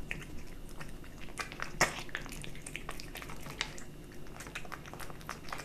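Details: Kitten eating dry and wet cat food indoors, close to the bowl: dense crisp crunching and wet clicking bites scattered through the clip, with one sharper louder crunch near the middle over a low room hum.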